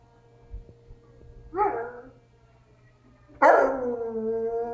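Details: A pet dog indoors howls in response to a tornado siren played from another room; after a quiet start, a short howl is followed by a long, loud, sliding howl with rich harmonics that settles into a steady tone.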